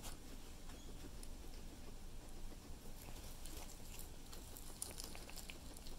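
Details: Guinea pig eating cilantro: steady, rapid crunching and crisp clicking of chewing fills the whole stretch, irregular bursts of tiny snaps over a low background rumble, with no calls or squeaks.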